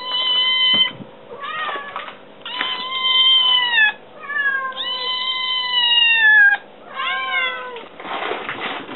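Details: Kitten meowing to demand food, also climbing onto a counter: repeated drawn-out meows, some level and some sliding down in pitch, about one to two seconds each, with short gaps and faint rustling.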